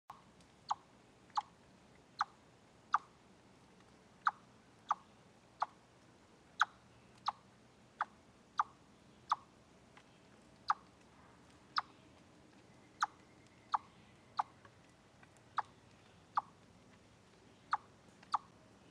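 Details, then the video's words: Chipmunk on the Deer Trail live stream, 27 August 2013, giving a steady series of sharp, clicky chips repeated roughly every half to one second against a quiet background. "Noise Chipmunk"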